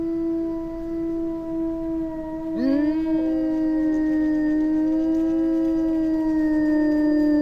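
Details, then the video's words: Small Eurasian wolf pack in Finnish taiga chorusing: a steady held howl joined by a second voice sliding sharply upward, then several sustained overlapping tones at different pitches. "Wycie wilków europejskich (Canis lupus lupus) / Wolves howling"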